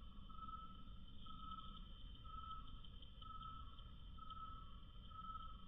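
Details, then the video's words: Cricket chirping slowed to quarter speed: drawn-out, lowered tonal pulses with a fainter higher overtone, repeating roughly once a second, six in all, over a steady low rumble. "Cricket Chirping 1/4 speed"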